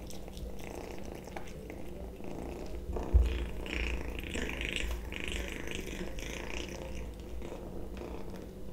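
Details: Kitten eating sausage indoors, a steady low purring rumble running throughout, overlaid with soft wet chewing and smacking clicks, a sharper knock just after three seconds.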